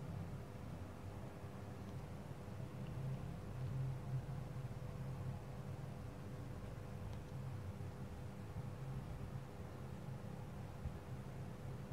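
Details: A low, even mechanical hum with a faint steady whine continues throughout, and no animal sound is heard.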